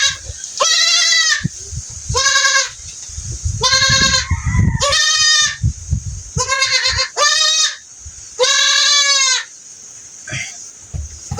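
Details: Goat with pink eye being treated, bleating repeatedly, about seven loud wavering harmonic bleats, each under a second and roughly every one to two seconds, with handling thumps and a steady high hiss.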